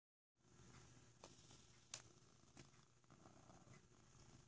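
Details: Sokrates, a black cat cuddling in a box, purring heavily: a soft, low, steady rumbling purr, with scattered rustles and crackles from the box.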